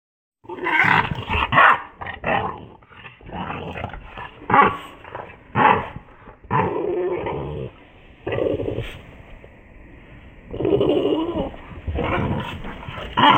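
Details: Boston Terrier; growl; showing bad temper, aggression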